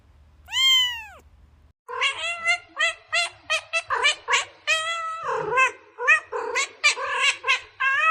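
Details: Cats meowing while looking for food and drink, heard near a bamboo tree: one long arched meow, then a quick run of short, overlapping high meows from several cats, calling almost without pause.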